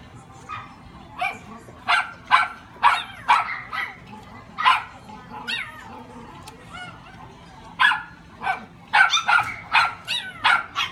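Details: Papillon puppy with a small body and gentle face, recorded June 2018 in Japan, repeatedly yapping in high, clipped barks, clustered in runs of three to five with brief gaps, faint human chatter behind.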